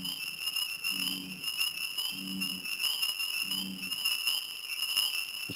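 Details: At a pond at night, American bullfrogs give low, resonant droning calls about a second long, one after another. Spring peepers are also present, and a dense, high, ringing insect chorus runs continuously underneath.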